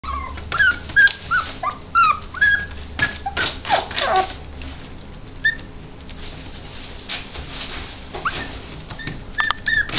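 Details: Male Yorkshire Terrier puppy, steel blue and tan, born 24 February 2016, at a pet shop: high thin whines and squeaky yelps in quick irregular bursts, several clustered early, then sparser with indoor noise.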